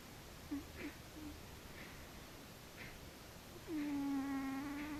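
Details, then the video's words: Sleeping cat named Frici gives a short squeak, then a drawn-out, whistle-like snore that holds a low even pitch with rich buzzy overtones for over a second, against a quiet room. "Frici cica horkol :D Cat snoring by Frici :-D"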